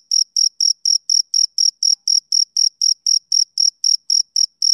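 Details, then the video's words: Male cricket chirping on a summer evening: a steady train of short, high, even pulses, about four per second, each identical, with nothing else audible around them. "Cricket Chirping Sound Effect"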